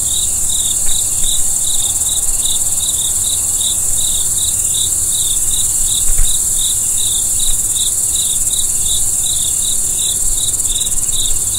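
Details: Night-time crickets chirping in a fast, steady series of brief pulses, several each second, with a constant high-pitched insect hiss and low background rumble throughout.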